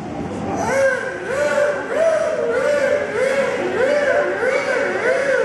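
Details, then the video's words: Whale "talking" at Miami Seaquarium, producing a run of arched, rising-then-falling squealing whistles with rich overtones, repeated roughly every half second. "Whale Talking"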